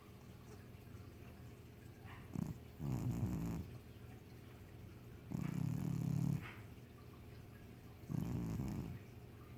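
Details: Sleeping pet cat named Abby snoring: low, rough rasping snores repeating about every two and a half seconds, each lasting under a second, over a quiet indoor background hiss.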